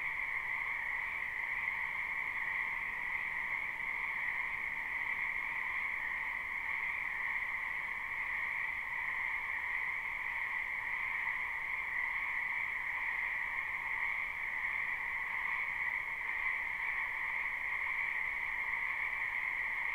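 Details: Many frogs croaking in a spring wetland behind a house, recorded live without looping: a dense, unbroken chorus forming a steady high buzzing drone with a lower hum beneath, no pauses, no other clear sounds.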